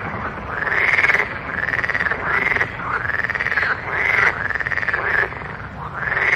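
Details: Frog on a marang tree at night: overlapping rising, drawn-out croaks, each lasting about a second, blend into a continuous chorus over a rough background.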